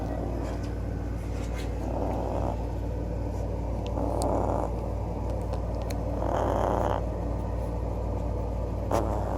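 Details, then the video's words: Loud snoring from the little dog Klawei, three raspy breaths at a steady pace of roughly one every two seconds, each a soft rushing noise, backed by a constant low rumble and a few faint clicks. "Snoring cute lil dog"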